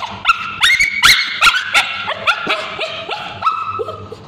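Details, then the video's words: Scabies-stricken male Bichon Frise dog shrieking during ointment treatment of his tail by a babysitter; loud, stacked, up-sweeping cries in quick succession, tapering into softer, falling whines toward the end. "Male Bichon Frise Dog Screaming when babysitter applying ointment"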